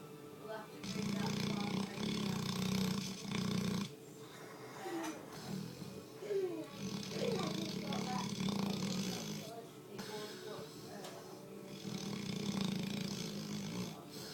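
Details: Hogan, a sleeping Labrador Retriever described as the loudest lab ever, snores in long, low, rumbling breaths, each drawn-out snore lasting a few seconds with short quiet gaps between, and a faint higher rasp over the deep drone.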